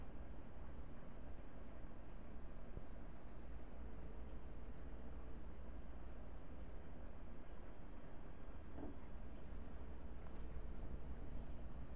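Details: Steady low rumble and fan-like hiss fill the recording, with only a few faint ticks and no animal voice.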